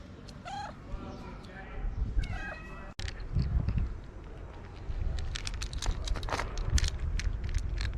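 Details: Hungry ginger stray cat with a long mustache meows twice in quick succession, short wavering cries, after which a sharp cut leads into clattering, rustling and scraping noises.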